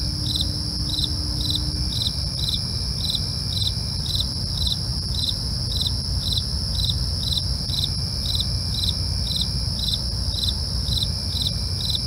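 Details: Crickets chirping at night: sharp pulsed chirps repeated steadily about twice a second over a continuous high thin trill, with a low rumbling background throughout.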